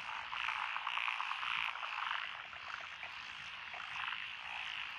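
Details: Lotus rice paddies along a rural road in Echizen City, Japan, 12 June 2021, thick with frogs of several stated species, tree frogs and pond frogs among them; rapid croaks repeating about twice a second over a steady chorus wash.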